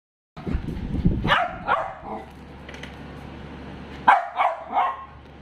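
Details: A dachshund barking in two bursts of three sharp, harsh barks, one near the first second and another near the fourth, with a low steady hum in the quiet gap between them.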